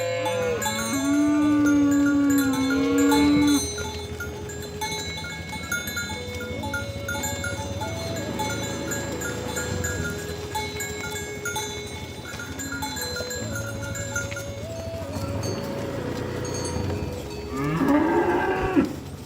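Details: Cattle being herded with oxen to the livestock barn, a cow calling friends to the pen: a loud, wavering moo over the first three seconds and another rising moo near the end, with ringing cowbells and steady tonal background throughout.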